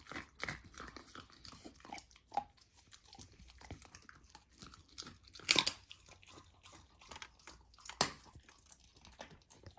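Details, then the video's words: Golden retriever puppy, fed a raw diet, eating raw lamb for the first time; crisp crunching and sharp bone-like snaps amid rapid chewing, two louder cracks standing out, indoors. "Puppy tries raw lamb for first time! ASMR Eating Sounds"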